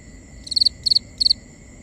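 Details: Cricket chirping at night in a binaural recording: three crisp high chirps of about four pulses each, evenly spaced, over a faint constant insect hum.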